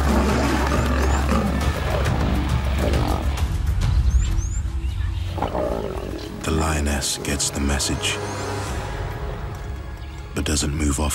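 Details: A mother lioness guarding her cubs gives deep, rumbling roars to drive off an unfamiliar lioness that came close, probably from her own pride, and other lionesses roar back, over dramatic music.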